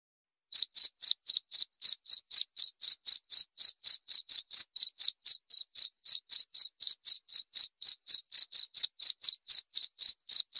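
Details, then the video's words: Steady cricket song: a long run of evenly spaced high chirps, roughly four per second, crisp and unvarying across ten seconds, in otherwise silent surroundings. "Suara Jangkrik"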